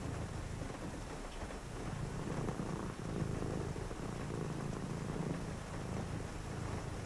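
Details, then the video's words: A domestic cat purring on a rainy night indoors: a steady low rumble, swelling and easing in breath-length cycles of about two seconds, over a constant hiss of rain. "a purring cat"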